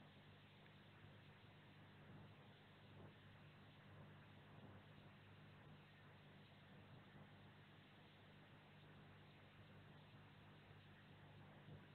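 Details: Only a steady low hum and broadband noise, like a running engine or electrical drone, with no animal calls.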